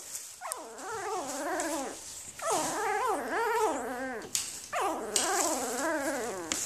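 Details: Newborn Afghan Hound puppies from a litter dated May 23, 2014, giving three long wavering whimpers, each about two seconds, rising and falling in pitch with short gaps between.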